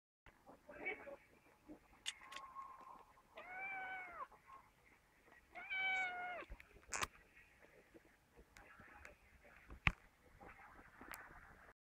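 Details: Sphynx kitten about two months old, calling out because it wants prawn pizza: two clear, drawn-out meows, each rising slightly and then falling, about two seconds apart, heard over a steady household hiss with a few clicks and knocks.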